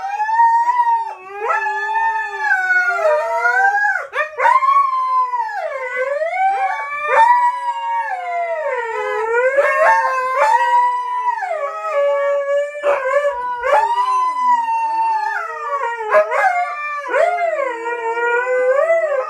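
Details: Two dogs, Coda and Diesel, howling together: long wavering tonal howls sliding up and down, overlapping voices with rich harmonics, continuous for the whole stretch with brief yips breaking in.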